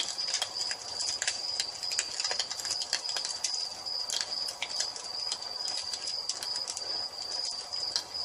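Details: High, steady trilling of crickets in an evening nature scene by a fireplace, overlaid with dense, irregular crackles and pops from the flames.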